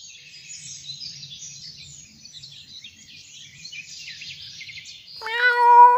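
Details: Domestic cat from a funny cat compilation giving one loud, clear meow near the end, after about five seconds of faint hiss and scattered high rustling noise.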